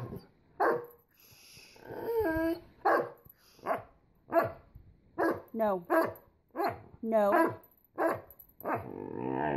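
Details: Great Dane puppies wanting attention give a steady string of whiny yelps, some bending sharply up or down in pitch, with a person's voice mixed in between the calls.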